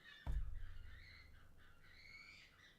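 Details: Red foxes fighting in a garden give harsh, wavering screams that rise and fall like children screaming and shouting.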